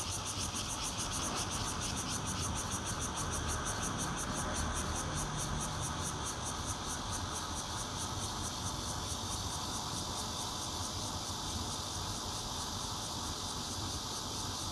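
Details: Mixed bear cicada song, red-veined and intermittent callers, from a fourth-floor home in Zhongli, Taiwan, 16 June 2013, on a Nokia Lumia 820: steady hissing drone with quick regular high pulses throughout, plus constant low traffic-like rumble.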